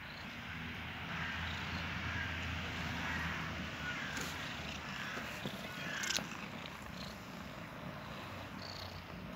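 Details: Pair of pet cats cuddling; a continuous low, vibrating purr hums beneath a broad soft hiss, with a brief sharp click near the end.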